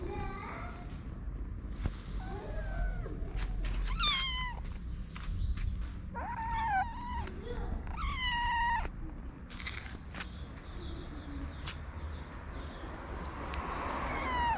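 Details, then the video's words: Hungry stray kittens waiting for their mother to return, wanting to eat: repeated high wavering meows, some in quick overlapping runs, with a person speaking and clicks in the background. "Kittens waiting for their mother's return want to eat."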